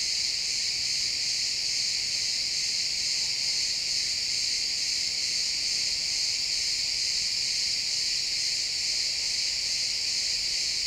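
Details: Pine forest at sunset filled with chirping crickets, many overlapping insects forming a steady, shimmering high trill without pauses, in an XY stereo recording.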